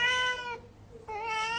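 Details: House cat wanting to catch a spider, giving two long, clear meows separated by a short pause, each steady and slightly falling at the end; the room is quiet apart from a faint hum.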